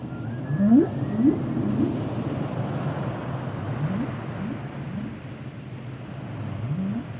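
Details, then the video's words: Whale giving short, low rising upsweep calls, roughly every half second at first, then in a looser series of similar whoops, over a constant deep underwater rumble. "Whale sounds"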